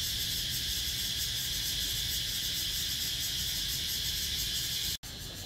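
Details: Cicadas on 17 April 2023 produce a loud, high-pitched, pulsing buzz that runs steadily. It cuts out abruptly for a split second near the end, then returns slightly quieter.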